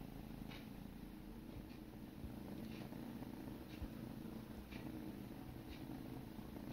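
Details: Kittens grooming one another while purring: an even, low vibrating hum, broken by occasional faint licking clicks.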